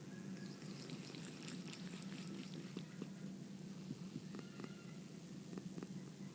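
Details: Purring from a domestic cat, a low steady rumble with rapid pulses around four per second, overlaid by scattered light ticks and rustling handling noises.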